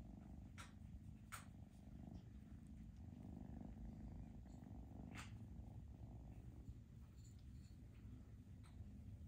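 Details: Low continuous purring from foster kittens during a cuddling and socializing session, with occasional soft clicks and rustling of handling.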